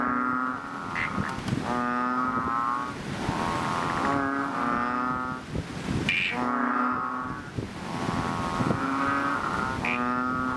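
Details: Chubby frogs, known as Ox or Bull Frog, calling loudly from a fishpond just after rain; several frogs give repeated long, deep, nasal droning calls that overlap and alternate, each lasting about one to two seconds.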